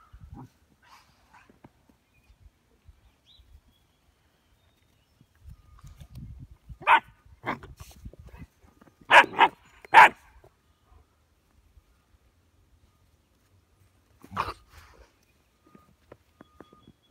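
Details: German Shepherd Dog and puppy, 6½ and 10½ weeks old, playing in morning snow on the first day of spring in Ohio; sharp barks burst out singly, then a quick cluster of three, then one more after a quiet stretch.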